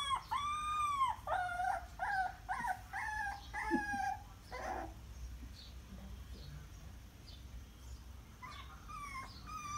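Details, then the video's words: Puppies whine and cry in a rapid series of bent, tonal calls for the first four seconds, then quieter with scattered fainter whimpers and a final burst of crying. "Puppies crying"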